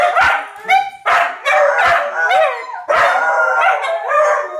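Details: Neighborhood dogs, four of them, reacting to fire truck sirens with a mix of sharp barks and short rising howls, voices overlapping in bursts about once a second, one note bending upward near the middle.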